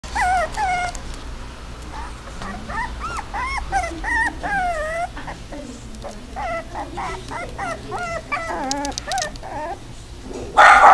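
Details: A female Toy Poodle whines and whimpers steadily in a long series of high, wavering, squeaky cries, rising and falling in pitch, several per second, with a brief loud noise at the very end.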